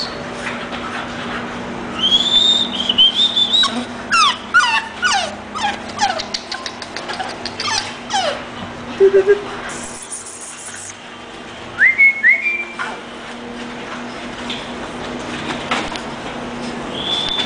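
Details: English bulldog whimpering: a thin, high whine early on, then a run of quick descending whimpers, a brief low whine, and two short rising squeaks later, all over a steady low background hum.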